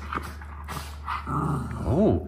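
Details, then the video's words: A Miniature Schnauzer, one of two brothers made extra feisty by grooming and baths, gives a single short yip that rises and falls sharply at the end, after a woman's voice and a low steady hum. "Supercharged Feisty Brothers After Grooming - Miniature Schnauzer Brothers"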